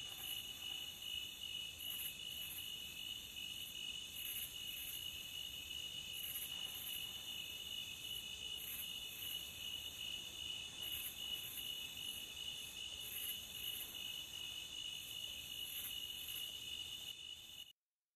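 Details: Relaxing cricket sound from the beach: continuous piercing trill layered in several steady high bands, with brighter flickers scattered above at irregular intervals, running evenly for about seventeen seconds before cutting to silence.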